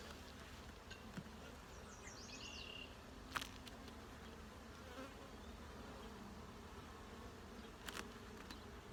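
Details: Honey bees at a hive opened for a full inspection for eggs, larvae and capped brood. A steady low droning hum with layered tones, a few short high chirps early on, and sharp clicks and taps from handling.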